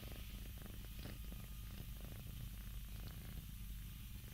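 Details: Scottish Fold cats, four of them yawning together indoors, purring: a low, steady rumbling purr with a fast pulsing texture that runs evenly through the whole stretch, no other clear sounds.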